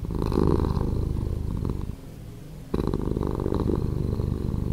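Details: Slowed purring from a cat: a dense, gravelly rumble that softens to a quiet pause near two seconds, then returns at full strength and continues steadily.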